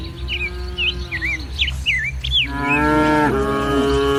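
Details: Among dozens of tame village cattle in green farmland at morning, a long low steady moo fades out, followed by a louder, rising, strongly harmonic bellow, with a bird's looping whistled calls above.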